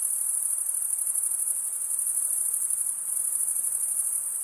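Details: Crickets at night in summer woodland, a steady high, rapidly pulsing chirr filling the whole short stretch without pause or other sounds.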